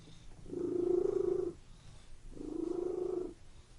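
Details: A domestic cat purring indoors in a room: two steady, low, rumbling bouts of about a second each, separated by a short pause, with a fine rapid pulsing throughout and quiet room background.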